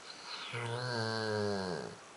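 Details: Rhodesian Ridgeback Becolina asleep at New Year in Cuautla, Morelos, Mexico, dreaming of hunting coyotes; a single drawn-out, low, voiced snoring groan lasting over a second, steady then gently falling, in a quiet indoor room.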